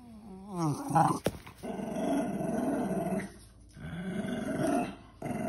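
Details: Female Cairn Terrier, very vocal with excitement indoors, gives a wavering, rising whine, then a long grumbling, growl-like vocalization, with background music playing throughout.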